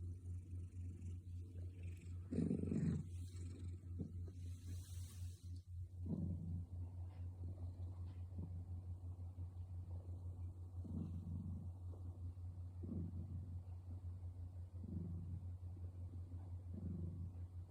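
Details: Loud snoring from Sherry, a male orange tabby house cat asleep at night: rhythmic rough breaths roughly every two seconds, with a brief rustle early on and a constant deep hum beneath.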